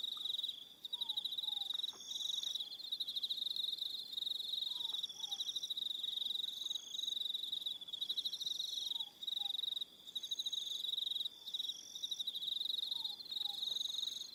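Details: Crickets calling in the evening on Aroha Island, New Zealand, a continuous high pulsing trill from several insects with regular brief breaks, and soft paired downslurred whistles recurring every few seconds beneath.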